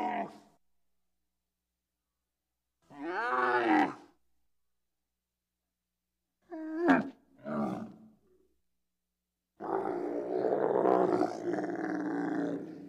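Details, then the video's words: Bactrian camel calling, separate bursts of harmonic groaning roars with wavering pitch, short grunts, and a long rough bellow near the end, set apart by silence. "Bactrian camel sound effects"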